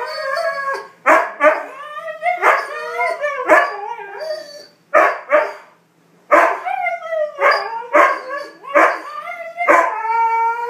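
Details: Siberian huskies, three females in heat and one overwhelmed male, howl together in a wavering, yodel-like mating chorus with short yips between the long calls.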